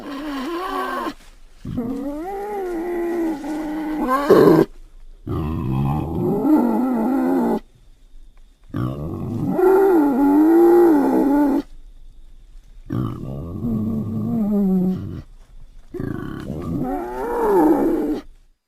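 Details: A North African wild boar (Sus scrofa) gives harsh, throaty grunts in short bursts with brief silent gaps.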